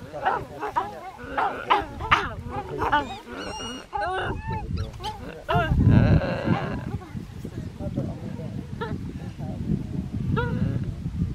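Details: In Simien Mountains National Park, Ethiopia, geladas give a rapid stream of chattering, wavering calls and grunts rising and falling in pitch; one male makes a mouth-flap display at another, possibly aggressive or a warning.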